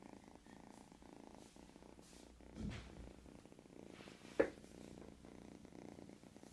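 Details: Sleeping cat, three months old, giving a low, even purring rumble indoors, broken by a brief soft thump near the middle and a sharp click shortly after.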